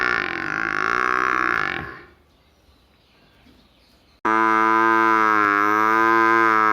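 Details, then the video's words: Buffalo calf from a village calling with a long, wavering nasal bleat that fades out, then after a short quiet gap a second loud, steady, even-pitched drawn-out call. "cute buffalo funny face sound"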